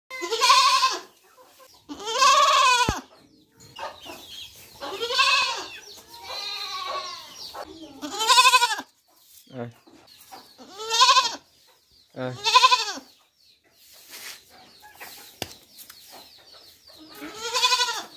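A young goat bleats repeatedly, each wavering, nasal cry lasting about a second.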